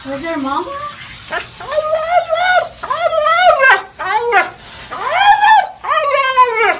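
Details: Siberian Husky giving a run of drawn-out, arching howl-like calls that rise and fall, about six in seven seconds with a brief pause near the middle; faint background noise and traces of music.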